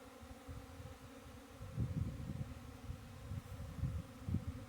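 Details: Honey bees buzzing: a steady, even droning hum holds throughout, with louder low rumbling thumps and bumps clustering from about two seconds onward.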